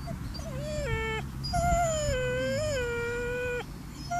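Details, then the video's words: Seven-month-old Chocolate Labrador puppy crying at a graveyard: a short whine, then a long drawn-out whimpering cry that dips and rises slightly, ending abruptly, over a steady low hum in the background. "Chocolate Labrador Puppy crying at the graveyard"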